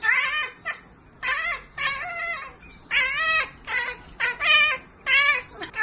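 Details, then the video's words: Kittens meowing in a series of short, repeated mews, each with a slight rise and fall, coming in quick bursts with brief pauses between them in a small room. "Cute kitten Meow Meow Sound Effects"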